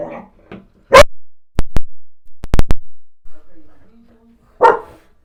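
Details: Black Goldendoodle dog barking at its owner's mother and a painter: two loud, harsh barks about three and a half seconds apart, separated by a quick run of sharp clicking or knocking sounds, with a soft voice at the start.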